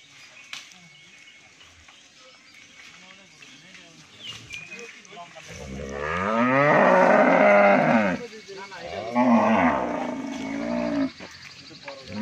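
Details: Sahiwal-Brahman cross bull of an improved breed, offered for sale at a Bangladeshi dairy farm, giving several drawn-out, wavering moos in the second half, with people talking nearby.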